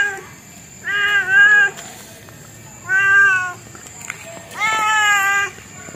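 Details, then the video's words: Domestic cat giving three drawn-out, harmonic meows roughly every two seconds, each level then gently falling, the last one longer and rising at the start, over a quiet steady hum. "Suara Kucing"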